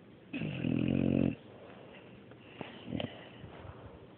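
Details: Sleeping dog Mario gives one long, coarse, buzzing snore of about a second, followed by soft snuffly exhales and small clicks.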